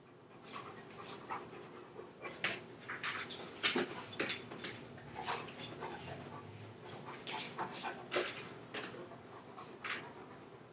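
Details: A chocolate Labrador Retriever left home alone, breaking into a room: quick, breathy panting with short bursts, a few faint whimpers and soft bumps and clatter between breaths.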